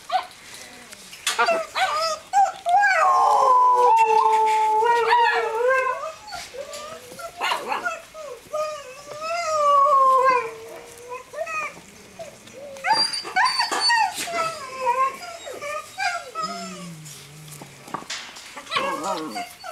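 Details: Several litters of seven-week-old Greenland Dog puppies romping together on the yard of a kennel in Norway, June; drawn-out wavering howls mixed with rapid yips, whimpers and squeals, some quieter pauses.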